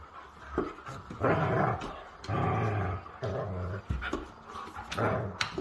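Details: Siberian Huskies playing rough: throaty, snarling growls in long rasping bursts of about a second each, broken by short huffs and sharp clicks, steady and loud throughout.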